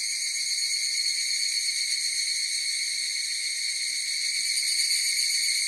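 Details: Chorus of higurashi cicadas: a steady, shrill, high ringing drone in several bright bands, unbroken and even in loudness throughout, with no other voices or noises.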